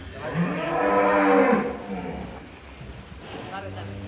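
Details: Large cow from Jombang, Indonesia, said to be of Indian origin and to resemble foreign cattle, gives a long, deep, harmonic moo that swells and fades over about a second. A fainter low moo follows, with people talking nearby.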